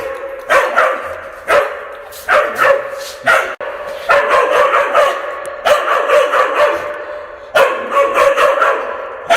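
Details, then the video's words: Aggressive dog barks echoing in an indoor room, filmed at close range in February 2022; rapid clusters of rough, loud barks with short gaps, some sustained reverberant tails between bursts. "성량 좋은개~ 개짖는 소리 울림 효과음"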